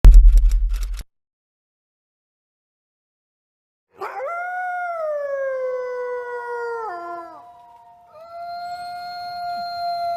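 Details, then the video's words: A gray wolf gives a long, smooth howl that slides slowly downward and breaks off, then a second steady, level howl, after a brief low thumping. "Wolf howl"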